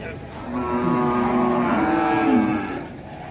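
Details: Rampaging calf in Indonesia bellows a single long, drawn-out moo lasting about two seconds, steady and harmonic before dropping slightly at the end, with faint background voices.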